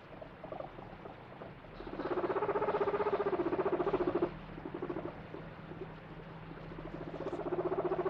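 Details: A guinea pig gives rapid, pulsing, low-pitched "rururu" calls in bursts, a sound said to mean happiness, while interacting with its owner.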